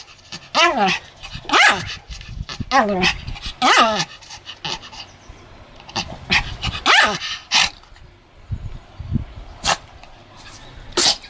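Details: A Pomeranian named Sam, pretending to bite, gives harmonic whining yelps that bend downward in pitch, about five in the first four seconds, then sharper barks around seven seconds, with scattered clicks and handling noise.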